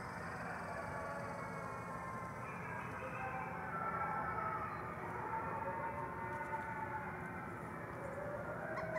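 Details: About 50 gray wolves at the Wolf Conservation Center, South Salem, New York, howl together, dozens of drawn-out, sliding tones rising and falling at different pitches, blending into a continuous, swelling chorus.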